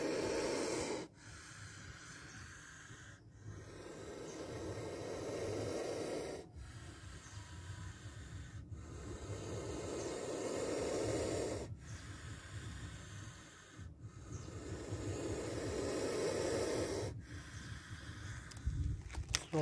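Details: Defensive spectacled cobra seen striking on camera, hissing in a series of rushing, breathy blasts of three to four seconds each. Every blast rises and ends suddenly, with a continuous low rumble underneath.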